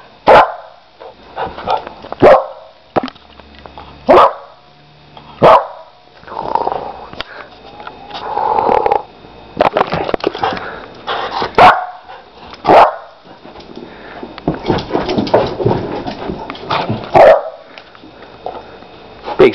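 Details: Playful four-month-old Lab/Pit mix puppy indoors barks repeatedly in sharp, punchy bursts every second or two, mixed with low growls and rough, noisy play sounds, with occasional human voice.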